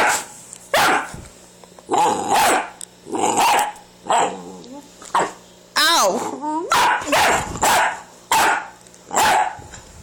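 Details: Hungry, angry female Staffordshire Bull Terrier puppy makes insistent yowling, grumbling barks, "talking" to demand food.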